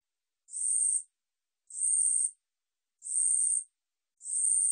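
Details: Katydid (우리여치) from a 2020 National Institute of Biological Resources recording, giving shrill high buzzing pulses of about half a second, evenly spaced at intervals near 1.2 seconds, with nothing else audible.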